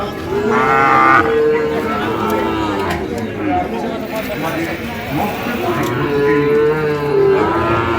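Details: Sahiwal bull calves at Ambari cattle market, Cumilla, on 12 May 2025: harmonic moos around 0.5 to 1.5 seconds and again near 6 to 7 seconds, over a dense crowd of voices, chatter and market noise.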